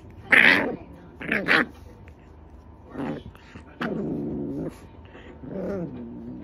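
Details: French Bulldog puppy having a nightmare, letting out short muffled yelps and barks in its sleep, two sharp bursts then lower whining and groaning tones with quiet gaps between.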